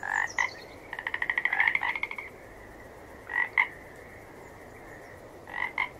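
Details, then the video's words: A frog gives a rapid run of pulsed, rattling croaks lasting over a second, then isolated paired croaks after long pauses, with faint high chirping early on and steady hiss behind. "Gerçek Kurbağa Sesleri"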